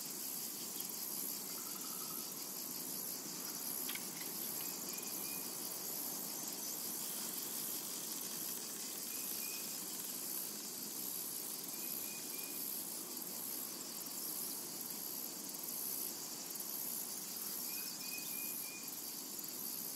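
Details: Summer meadow cicadas produce a constant shrill hiss with a faint rapid throb, a few thin bird whistles appearing briefly in the distance.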